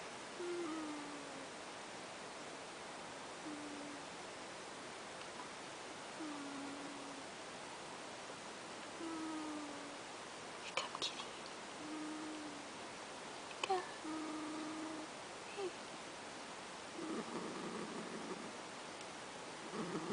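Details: Ash, a pet cat, snoring while asleep indoors: faint whistled nasal notes near the low-middle range, each short and slightly falling, repeated roughly every three seconds, with soft rustles and a muffled clatter toward the end.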